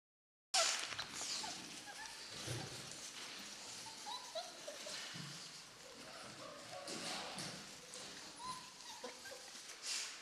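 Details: Four-week-old German Shorthaired Pointer puppies from Amy's litter give brief, faint whimpering squeaks scattered through the recording, set against a steady hiss and soft shuffling.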